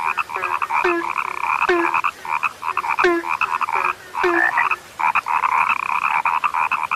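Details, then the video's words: A frog called rare gives loud, rattling croak bursts with sliding pulses, each paired with a short low note near every second, with a brief lull before calls resume. "SUARA KATAK YANG SUDAH LANGKA"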